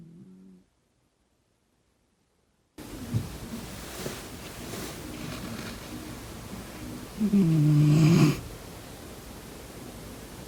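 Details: Sleeping domestic cat snoring indoors while someone blocks its nostrils: a brief snore, a silent gap, then steady low breathing that builds into one loud, rough, drawn-out snore near the end.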